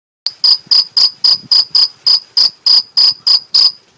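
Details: Male two-spotted cricket (Gryllus bimaculatus), Mediterranean field cricket, in Algarve, Portugal, gives a steady chirping song of bright, high chirps, about three or four per second, made by rubbing the forewings; it kept singing when filmed close up.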